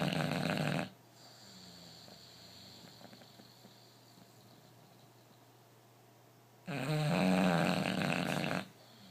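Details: Sleeping bulldog snoring: two long, loud, rasping snores roughly six seconds apart, each lasting under two seconds, with soft steady breathing in the quiet stretch between them, indoors.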